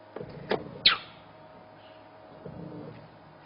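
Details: Vehicle clicks, a door-like knock and a brief squeak over a low engine hum, with no clear animal voice. The sharp squeak is more likely mechanical than a call.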